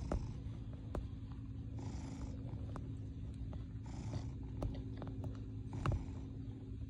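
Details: Kneading in his bed, a male cat purrs contentedly: low vibrating drone with audible breathing cycles every couple of seconds, punctuated by brief sharp clicks and small bumps.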